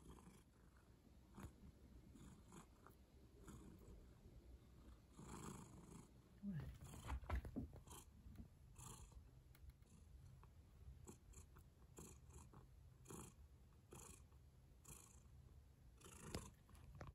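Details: A domestic cat purring softly: a low, steady rumbling drone runs throughout, overlaid by intermittent soft rustling and clicking bursts, with a brief louder movement sound near the middle.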